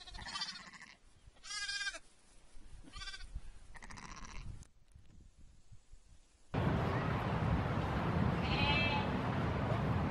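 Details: Lamb bleating: four quavering, harmonic bleats spaced about a second apart over the first four and a half seconds, followed by loud broadband rumbling noise and one brief higher cry near the end.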